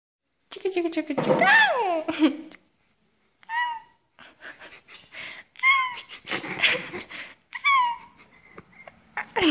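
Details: Two-week-old German Shorthaired Pointer puppy lying on its back while being played with indoors, giving short high squeaks and whining squeals that slide downward, in separate bursts with pauses, mixed with soft human voices.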